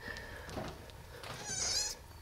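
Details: Kittens 11 days old, from a litter of five street kittens that had just opened their eyes; one brief high, thin mew with stacked harmonics near the end, after a soft murmur and faint background noise.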